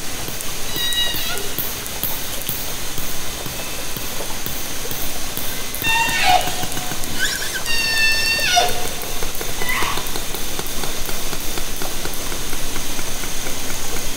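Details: Orcas recorded underwater by hydrophone from a kayak in Haro Strait, summer 2010. A few brief harmonic calls with upswept tonal tops rise out of constant hiss and clicking, clearest midway and again shortly after.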